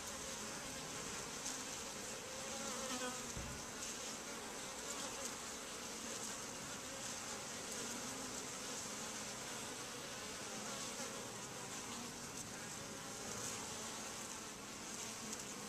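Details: Constant buzzing hum from a crowd of honey bees moving in and out of a super-hive entrance, steady throughout with a brief low thump early on.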